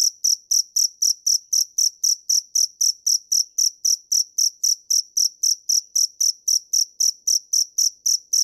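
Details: A cricket chirps in a fast, regular rhythm, each short shrill pulse following the last at under a third of a second, clean and uninterrupted.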